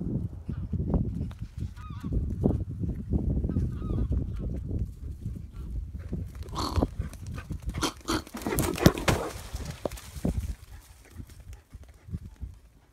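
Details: A wild boar attacking a hunter during a hunt on 2 October 2017 gives rapid, deep, honking grunts in quick bursts.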